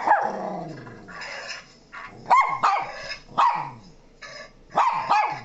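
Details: A mixed-breed dog, Shih Tzu crossed with Miniature Pinscher, barking at sounds played to it indoors; a handful of sharp, husky barks about one second apart over a low background hiss.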